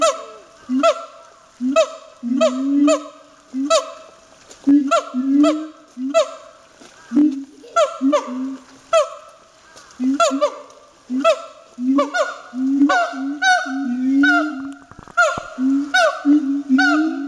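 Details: Siamang barking with great force at Chiba Zoological Park: loud honking barks with stacked harmonics, each swooping up then down, repeated about twice a second in an unbroken series, some overlapping.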